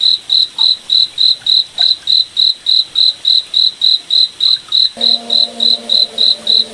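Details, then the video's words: Crickets calling at night in a moonlit forest, crisp high chirps in a steady fast rhythm, about three and a half per second, with a low hum starting in the last seconds. "Cricket Night Forest Ambience"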